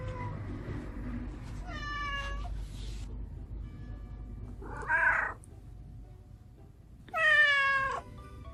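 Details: Rescued domestic cats, Lizzy a red tabby female and Vivi a black male, greeting and communicating at home in Japan; three harmonic meows, the last loudest and falling in pitch, over a steady low background hum.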